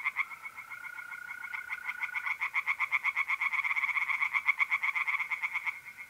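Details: Night chorus of tree frogs in a north-east Italian pond in mid-April: a dense, quick series of harsh pulses, roughly four per second, builds over a long, steady mole cricket trill that fades out partway through.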